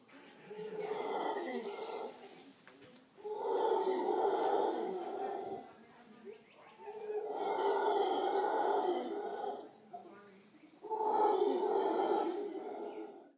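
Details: A male mantled howler monkey perched in trees in Nosara, Guanacaste, on Costa Rica's Pacific coast gives deep, rasping roars in long, swelling bursts separated by brief pauses.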